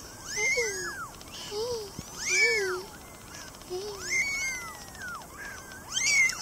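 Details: Baby cats at play, several overlapping high arched meows rising and falling, repeated roughly every one to two seconds, with a faint buzzing texture running through the background.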